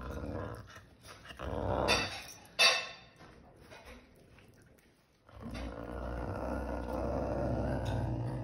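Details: A caracal eating chicken growls low and rough, with a couple of sharp hissing snarls breaking through.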